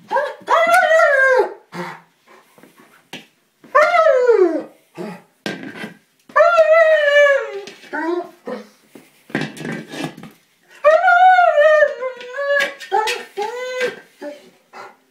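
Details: German Shepherd getting upset because he cannot puncture a small buoy. Loud whines rise and then slide down, coming in bursts every two to three seconds, with clattering and scuffing sounds from the struggle in between.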